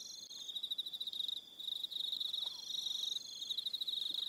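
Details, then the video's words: On a New Zealand evening at Aroha Island, crickets give a bright, rapid pulsing trill, several callers overlapping, with a short lull after the first second and a faint higher tone. "Relaxing Evening Sound of Crickets"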